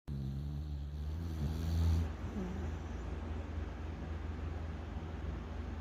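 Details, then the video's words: Yeowoo, a pet dog, snoring in deep sleep on a bed on a rainy day, 22 June 2024. One low, droning snore lasts about two seconds, then only a steady low rumble remains. "침대에서 코 골면서 꿀잠자는 반려견 여우"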